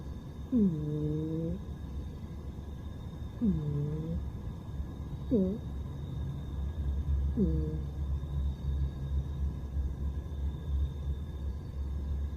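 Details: Pet cat snoring in its sleep, four soft whistling snores spaced roughly two to three seconds apart, each bending downward at the start, with a continuous low breathy rumble and a faint steady hum behind.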